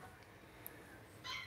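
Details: Two-week-old blenheim Cavalier King Charles Spaniel puppies, a litter of five born to Paris and Spike at New Year's, during potty training in a home puppy pen; after near silence, one short high, thin whine with layered overtones near the end.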